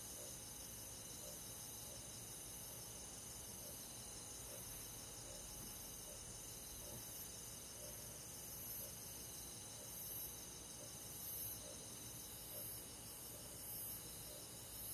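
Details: Crickets and other forest insects on a summer night: a dense, steady high-pitched chorus of layered trilling bands, with a faint shrill pulse repeating about once a second above it and no other sounds.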